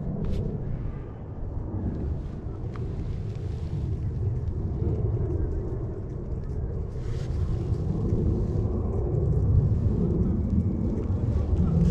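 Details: Outdoor park ambience of steady low wind rumble and distant traffic with a few faint knocks; no animal sounds are heard.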